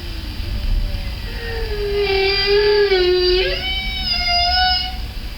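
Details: A lone humpback whale, recorded underwater by day at close range with no other whales around, sings long, wavering moans rich in overtones that slide up and down, in a repeated sound-silence sequence.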